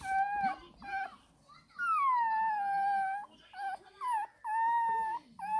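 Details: Crying 20-day-old Shih Tzu puppy asking for milk, giving long, level, tonal wails lasting over a second each, broken by short whimpers and brief pauses.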